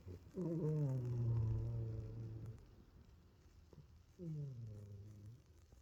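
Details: A sleeping kitty snores in a quiet room, a long, low, rattling inhale of about two seconds, a pause, then a shorter, slightly falling snore.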